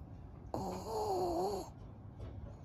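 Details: Maria, a 12-year-old fawn female pug, a senior dog at home in Japan, recorded 5 May 2023: one drawn-out, wavering nasal tone lasting about a second with a bright harmonic whine. Quiet room before and after.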